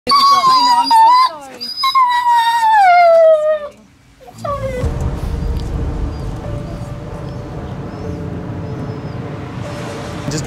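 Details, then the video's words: Stray female German Shepherd on the streets before rescue, crying nonstop: long high whining cries sliding downward, two drawn-out wails in the first four seconds, then music and background noise with faint tones. "Stray German Shepherd Was Crying Nonstop Until She Was Rescued"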